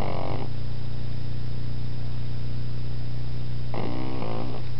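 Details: Pug puppy asleep and snoring: a short raspy snore trails off at the start, about three seconds of low steady hum follow, then another buzzing, rattling snore.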